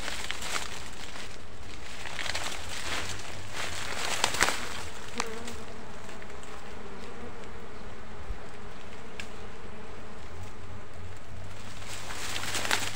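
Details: Wild honey bees in a forest: a low, steady droning buzz with a faint harmonic hum that swells in the middle, over rustling and scattered clicks and taps.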